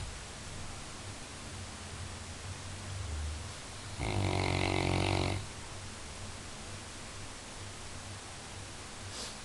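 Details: Labrador Retriever asleep, joked to be the best guard dog, breathes with a soft low rumble, then lets out one loud, gravelly snore lasting over a second before settling back to quiet breathing.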